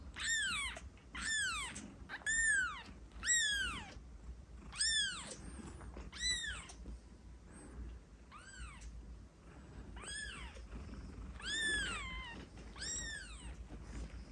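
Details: Kitten meowing to attract cats, a rapid series of short arched meows, about one per second at first, then pausing and resuming with several more high, slightly rising-then-falling cries.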